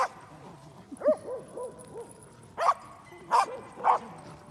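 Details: Pembroke Welsh Corgis playing together at a dog run: one gives sharp barks with a quick run of arched, whining yips between them.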